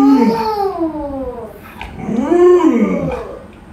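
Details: Alaskan Malamute Luoluo, a pet dog reacting while its owner lies sick in bed, gives two wavering, whining howls that slide downward, with a short pause between them.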